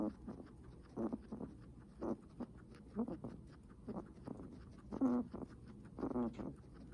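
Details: Heavy breathing from a guinea pig, with coarse, huffing breaths roughly once a second, some louder than others, and a few brief voiced edges on the breaths.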